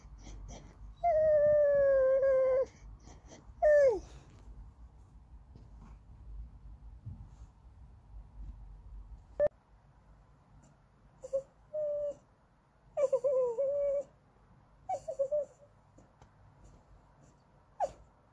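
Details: Andy, a Goldendoodle, whines in a sing-songy way while wanting snacks or petting: two long, tonal, slightly falling whines early on, then after a quiet stretch a series of shorter whimpers and one brief sharp yelp.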